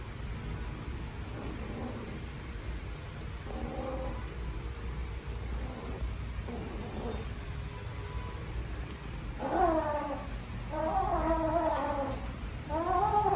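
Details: Baby black kitten left in a trash box on the street, calling loudly: soft, scattered meows at first, then a run of louder, strained, wavering meows near the end over a constant hum.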